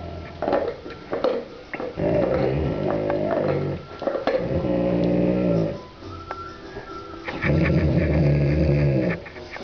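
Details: A dog chewing on and guarding its bone gives long, low, rumbling growls in sustained bursts of one to two seconds with short pauses. A person's voice and handling noises are heard at times.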